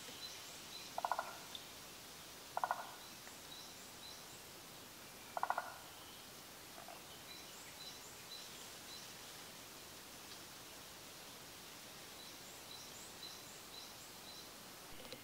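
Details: Forest green tree frog, a species found only in Japan, calling during daytime spawning. Three low, rattling pulsed croaks come at uneven intervals over a faint hiss, with distant high insect or bird chirps behind them.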